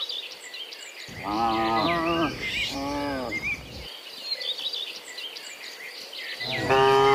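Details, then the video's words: Morning cow calls on the way back from the field to the barn: two drawn-out moos, the first wavering, then a pause, then another moo beginning at the end, with birds twittering throughout. "Dozens Funny Cow Sounds in the Morning, Returning from the Field to the Barn, Cow Sounds"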